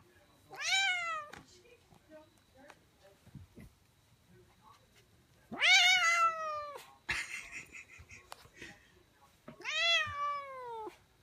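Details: Older male domestic cat, described as grouchy, meowing while he does not want to be petted indoors: three long, drawn-out complaining meows with falling pitch, spaced about four to five seconds apart, with a man's voice and handling noises between.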